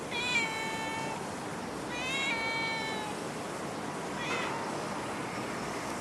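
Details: Stray cat in Singapore giving two drawn-out, harmonic meows about two seconds apart, with a fainter third cry trailing off near the end over a steady background hiss.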